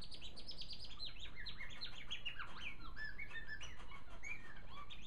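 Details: Pet male African silverbill singing on his perch in a cage, a continuous tumbling stream of high twittering notes and downward-sliding chirps, dense and unbroken, over a steady low background hum.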